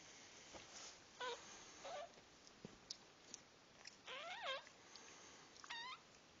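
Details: Squeaky cries from puppies at their birth come in separate short calls: brief peeps first, then a longer wobbling squeal that dips and climbs, and a final sharp rising squeak over faint hiss.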